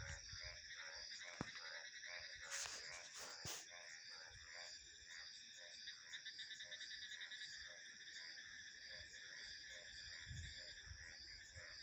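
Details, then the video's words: Chorus of frogs giving short pulsed croaks repeated steadily about twice a second, set against continuous shrill cricket and insect buzzing and a couple of brief loud knocks. "Frog Sounds"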